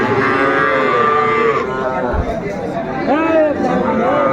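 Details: Sahiwal bull calves at the Ambari cattle market in Faridpur on 29 April 2024, while a farmer buys: a drawn-out, level moo in the first second and a half, then rising and falling lowing, with steady crowd chatter and talk about prices.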